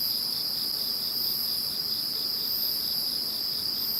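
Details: Insect voices in the calm after Typhoon No. 21: a steady shrill ringing drone joined by a soft throbbing trill and an uneven high hiss, unbroken for the whole stretch.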